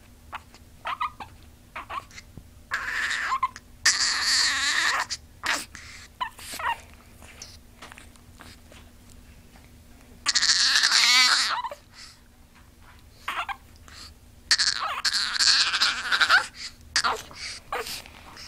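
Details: Lucy, a pet dog, whining in her own unusual way: long, strained, buzzy wails with wavering high harmonics, broken by short squeaky bursts and quiet gaps, each wail lasting one to two seconds.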